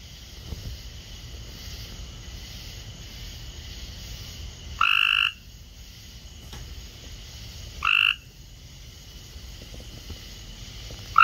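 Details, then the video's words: A group of Cope's gray treefrogs in a kiddy pool give loud, harsh, buzzy trills, each under half a second, repeated every few seconds; Cope's gray treefrog. "Copes Grey Tree Frog Party In The Kiddy Pool & Loud Croaking Calls!"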